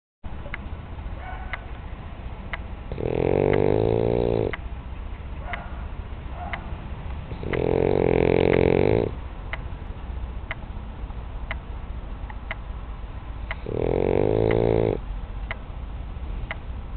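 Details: French bulldog named Janinka snoring while asleep: three long, loud, rumbling snores, each about one and a half seconds, spaced roughly five seconds apart, with quiet breathing and faint clicks between them.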